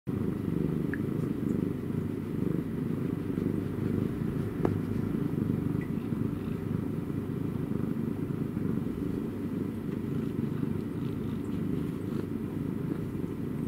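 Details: Domestic cat purring: a continuous low, rough rumble made of fast, even pulses. It holds steady for the whole stretch, with a faint thin tone and a brief click partway through.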